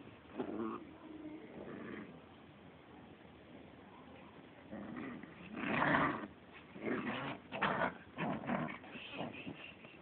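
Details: Small American Pit Bull Terrier growling softly at another dog; low rumbling growls with a few whimpering bursts, loudest around the middle and near the end, in a quiet room.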